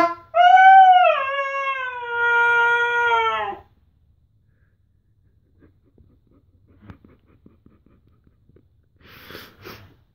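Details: Three-year-old male husky howling along with his owner and a saxophone indoors: one sustained, wavering, tonal howl lasting about three seconds, dipping then steady, followed by near silence with faint rustles and a short breathy noise.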